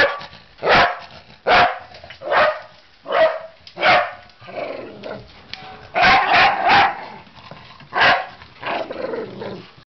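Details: Welsh Terrier attacking a ladder, giving loud, harsh barks at irregular intervals, some doubled or tripled in quick succession, with quieter rumbling between.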